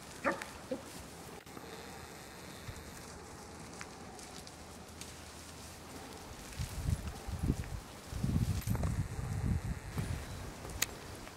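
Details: A Bloodhound playing with the other dogs at his foster home gives deep, rough barks and growly bursts in the second half, after a quiet start.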